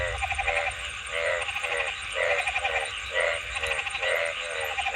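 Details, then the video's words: A frog gives pulsed, rattling croaks roughly once a second, each short burst buzzy and nasal, with a faint low rumble and steady background hiss. "Frog Sounds ।। See what frogs look like while making sounds"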